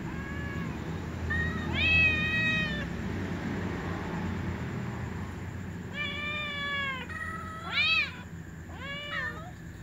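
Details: A little ginger cat and a white cat meow before eating with other cats. Several insistent meows come in quick runs, some long and level, others sharply arched, with a low steady hum underneath.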